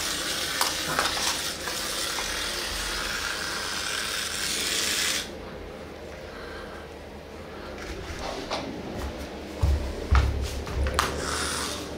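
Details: Dishes and cutlery clatter over a sizzling hiss, with thumps later in a small room and no animal voice.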